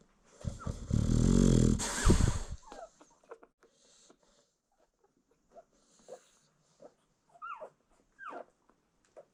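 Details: Nursing American Bully mother asleep with newborn puppies: one long, loud, rasping snore for about two seconds, then quieter snuffles while the pups give short rising squeaks and whimpers.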